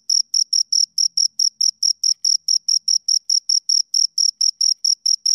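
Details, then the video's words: Crickets, two of them, keep up a shrill pulsing chirp, each short burst spaced evenly several times a second, over near silence with a faint low murmur. "Two Crickets Chirp Sounds"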